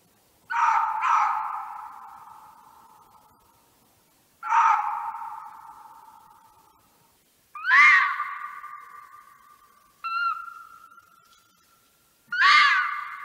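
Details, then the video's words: Red fox calls: five loud harsh screaming calls, each starting with a sharp burst and trailing into a long fading nasal tone, spaced roughly three seconds apart, over a quiet background. "Fox ( Vulpes vulpes ) calls."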